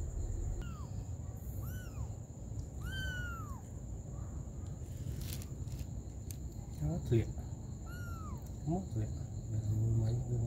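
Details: Mother cat with her baby kittens; thin, high arched mews repeat about once a second, each a clean rising-then-falling whistle-like note, later joined by lower wavering meows and human voices over a constant low hum.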